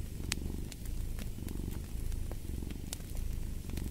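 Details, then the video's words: A domestic cat purrs in a steady low rumble that swells and fades with each breath, while sharp crackles and pops from a fireplace snap over it. "Fall asleep to the Purring of a Cat"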